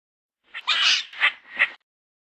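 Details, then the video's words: Squirrel giving a short, harsh, scratchy chatter: a long rasping burst followed by two shorter, sharper chirps, all over in under two seconds, with silence around. "SONIDO DE LA ARDILLA SOUND OF SQUIRREL"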